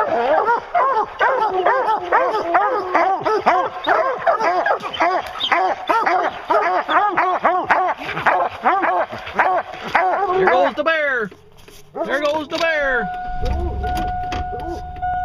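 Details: Pack of hounds baying on a bear hunt, rapid overlapping barks for about ten seconds, then a few drawn-out howls; the chorus stops near the end, leaving a low rumble and a steady tone.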